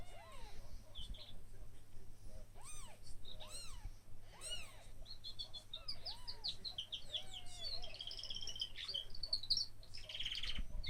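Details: One-day-old kittens crying in thin, arched mews that rise and fall, repeated every second or so through most of the stretch, with birds twittering and chirping in the background, especially toward the end.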